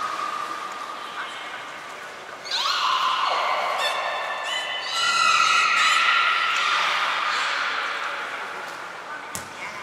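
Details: Belugas Nana, Mirai and Nico during a training session at Port of Nagoya Public Aquarium on 11 January 2021: drawn-out, harmonic-rich whistles, a falling sweep, then a long steady squeal rising in loudness before fading.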